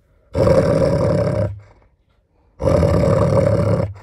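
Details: Growling from a six-year-old female German Shepherd in estrus, showing unexpected food aggression toward her owner while eating bones beside a four-year-old Malinois. Two harsh, rumbling growls of about a second each, split by a short silent pause.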